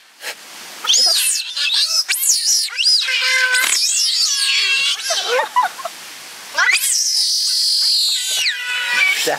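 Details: Six captive giant otters, two of them cubs born at Chestnut Centre in Chapel-en-le-Frith, on 25 June 2011. Loud, high, wavering screams overlap one another in near-continuous bursts, with a long, sustained harmonic squeal toward the end and people chatting in the background.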